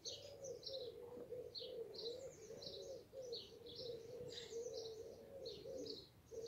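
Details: Western honey bees (Apis mellifera) at a nearly finished-blooming eastern redbud (Cercis canadensis), late May, sunny evening at 19°C: a steady, wavering wing hum with bright bird chirps scattered above.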